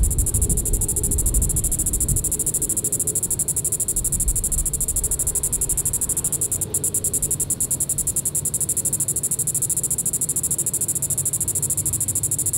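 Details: At Sand Hills State Park in Reno County, Kansas, a Diceroprocta vitripennis cicada calls in the evening, July 20, 2014. A sustained, high, rattling buzz of rapid pulses continues steadily over soft low background rumble.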